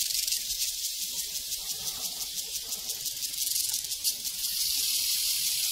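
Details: Crickets out on a prairie give a loud, high, buzzing chorus of rapid chirps, pulsing unevenly at first and then settling into a smooth continuous trill.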